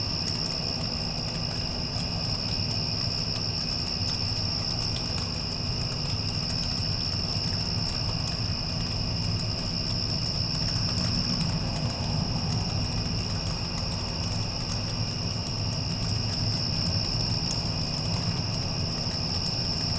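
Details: Crickets after a passing storm produce a sustained thin trill that swells slightly in places, partly masked by the heavier low-frequency roar of a nearby air conditioner.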